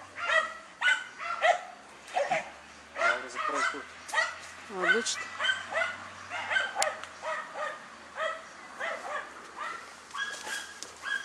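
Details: German Hunting Terrier, a female, hunting wild boar: sharp yelping barks with harmonic stacks, repeated irregularly through the recording, mixed with a man's encouraging speech.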